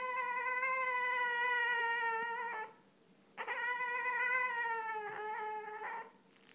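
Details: A young Boston Terrier, eight months old, whines for attention: two long, steady, high nasal whines, the second sagging slightly in pitch and ending in a brief wobble, with a short quiet gap between them.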